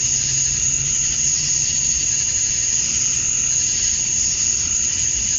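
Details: Summer-night cicada chorus at dusk in Georgia, USA, males calling to draw females; continuous piercing high whine over a hissing wash, level and unchanging for the whole stretch.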